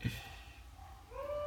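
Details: A pet dog begins howling, as it does every time other dogs bark, with a smooth tone that rises and then holds steady, set off by other dogs barking.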